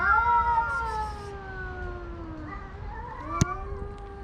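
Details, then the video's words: Stray tomcats competing for a female house cat's attention give sustained, slowly falling moaning howls with rich harmonics, then a rising wail after a sharp click near the end. "Homeless Cats in a Battle to Win the Heart of a House Cat"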